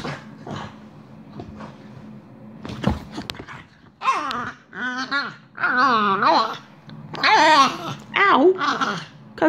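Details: French Bulldog, female, in a mad five minutes of play, gently mouthing her owner's hand; wavering, whiny grumbles and yodel-like moans in rising and falling bursts, following quieter shuffling sounds indoors.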